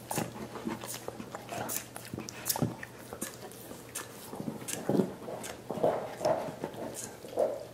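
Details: Dogs enjoying soup bones for their teeth, producing uneven sloppy sucking and lip-smacking with sharp gnawing clicks, louder toward the end, recorded in a small room.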